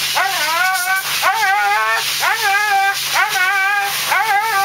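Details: Husky Thunder howling and crying as he is groomed: five drawn-out, arching yowls with rich overtones, spaced about a second apart, against steady hissing background noise.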